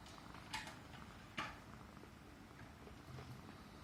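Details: Persian Himalayan cat purring while stroked on the neck, a low rumble partly covered by two loud rustling bursts and soft ticking sounds.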